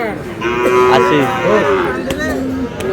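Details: Bull calves of Friesian and cross breeds at the Aftabganj cattle market, Dinajpur, 29 July. A level lowing note holds for under a second, then shorter bending moos follow, set against crowd talk.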